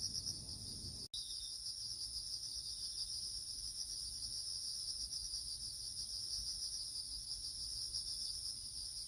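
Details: Autumn crickets in a small garden, a continuous shrill high trill with a fainter, even higher band above it, unbroken except for a brief cut near the start, over a soft low background rumble.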